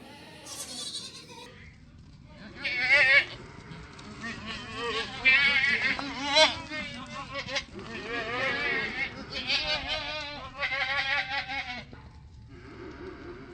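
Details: Ten baby goats drinking milk, calling out with wavering, quavering bleats rich in harmonics, several loud bursts in quick succession in the middle, separated by short quieter pauses and soft background rustle.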